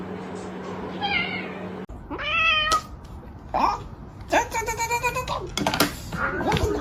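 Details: Domestic cat meowing indoors: several drawn-out, tonal meows, one rising then falling, followed by shorter harsh mews, with people talking over and between the calls.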